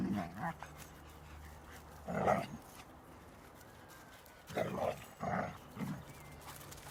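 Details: Young black female hound Nitsa at play in nature, chasing mice; a few short gruff barks in clusters separated by quiet gaps, with a person speaking nearby.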